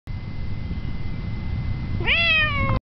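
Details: Cat mewing after climbing a tree during a walk: a single rising then slowly falling drawn-out mew near the end, over steady low rumbling background noise and a faint constant tone.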